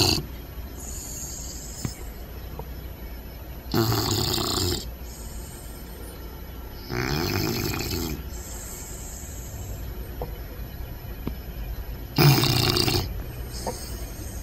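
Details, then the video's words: Puppies sleeping and snoring loudly without a care: three loud, rasping snore breaths about four seconds apart, each with a low rumbling buzz, separated by a soft hiss. "Cute And Funny Snoring Puppies Compilation!"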